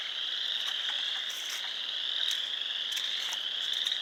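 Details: Chorus of frogs at a pond in Sanborn, New York, 29 March 2020: many high, piercing calls overlap into a continuous whistling drone, punctuated by scattered short, louder chirps from nearer callers.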